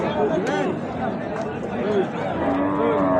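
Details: Bulls at the Ambari cattle market, held on Fridays and Mondays: short, low, tonal moos rise and fall among the steady hum of a busy crowd, with men talking and bargaining over prices throughout.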